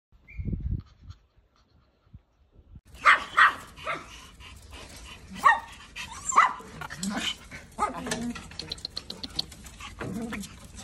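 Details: Husky puppies let out short, harsh barks and yelps in uneven bursts from about three seconds on, with rustling and faint voices beneath; the opening seconds hold only a few soft knocks.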